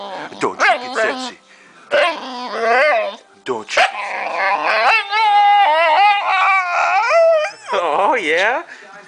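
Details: A female Boxer named Saydee talks back to her owner, unhappy at being spoken to: a series of yowling, whining vocalizations that bend up and down, with long wavering moans in between and human voices speaking Dutch.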